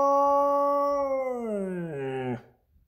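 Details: A Lapponian Herder (husky), with its favorite toy, holds a clear, tonal howl for about two seconds; the pitch sags lower and lower before the voice cracks and stops abruptly.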